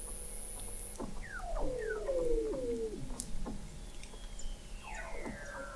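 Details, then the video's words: In McMurdo Sound, Antarctica, Weddell seals vocalize beneath the sea ice, recorded in November 2017 by an observatory 21 m down. Downward-gliding whistles and a bright warbling sweep dominate, after a brief high electronic tone at the start. "Song of the Antarctic Weddell Seal"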